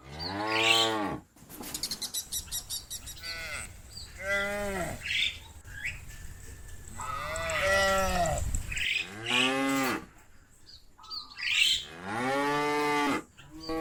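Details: Repeated arched moos and hoarse bawls from cows described as calling their friends to come home to the barn, roughly seven calls in quick succession with brief choppy edits and background music.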